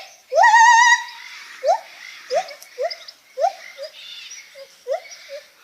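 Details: Lar gibbon opening with a strong, quavering drawn-out note, followed by a string of short upward-flicking hoots spaced about half a second to a second apart.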